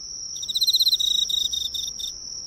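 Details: Single burst from an Emma field cricket at a neighbourhood drugstore light: a quick run of bright, ringing pulses that slows and breaks into separate notes before stopping, over a constant high hum.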